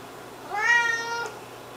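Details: Siamese kitten on a raw food diet since six weeks old, giving one clear rising-then-falling meow with rich harmonics, about three quarters of a second long, indoors.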